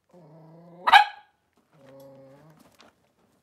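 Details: Blenheim Cavalier King Charles Spaniel puppies, three weeks old, one of a litter of five born at New Year's, playing in their pen: a steady low whine breaks into a sharp, bright yelp, then a second shorter whine trails off.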